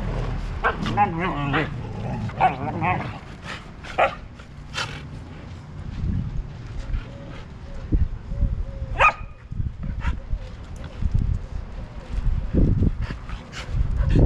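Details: Siberian huskies fighting at home, a family of six: a run of quick, wobbling, high-pitched yowls and whines opens the passage, then scattered sharp yips and clicks over low scuffling noise and some human speech.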